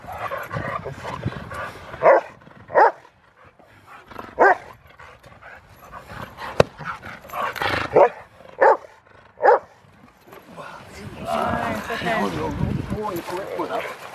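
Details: Short, punchy barks from Rottweiler Freya vh Odoms at the Victoria Rottweiler Club, Australia, February 15, 2020, come singly and in pairs over ten seconds. Speech and background chatter fill the gaps and the end.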